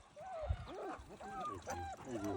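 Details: German Shepherd puppies giving a run of short, arched, whimpering whines, each rising and falling, repeated about every half second over a low background rumble.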